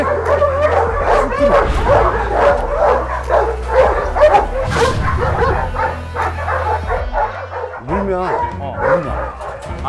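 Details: Tosa dog named Beethoven, kept in a raised cage with another dog, Chopin, barking aggressively and attacking a rescuer during a first attempt to bring the dogs out; rapid, rough barks and whimpers overlap with people talking and background music.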